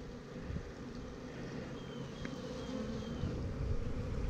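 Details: Honey bees at a newly set-up hive on 28 September 2018, the queen marked with a red dot: a low, steady droning hum fills the recording, with a faint thin whistling tone drifting across the middle.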